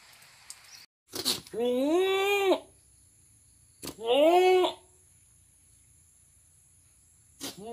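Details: Two steady, drawn-out nasal bleats from a goat, the first about a second long, the second shorter, with sharp clicks and knocks before and after them.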